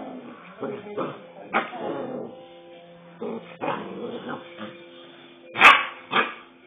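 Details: Aggressive 2-month-old Rottweiler pup producing a string of grumbling growls and whines with high yappy barks, ending in two loud sharp barks; faint background music.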